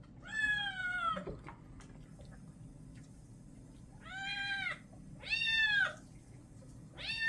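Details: Bathed kitten, a white and orange male, protests with a series of plaintive meows: one long cry, a pause of nearly three seconds, then three shorter meows in quick succession, indoors.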